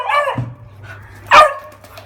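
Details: Great Dane and Beagle in a fight: one short, sharp, rasping bark breaks out after a brief growl, over a low steady hum.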